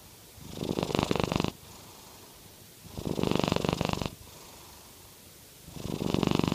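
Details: Snoring purr from a Norwegian Forest Cat: three rasping, pulsed breaths of about a second each, evenly spaced with quiet gaps, a low rumble under a breathy hiss.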